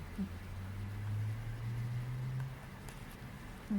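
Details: Sleeping cat snoring indoors: a low, droning rumble held for about a second and a half, flanked by brief soft breath sounds in a quiet room.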